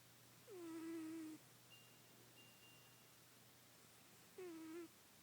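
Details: Pet cat described as fat, under a bed; two drawn-out meows with a falling start then a level tone, separated by quiet room hiss and a faint steady hum.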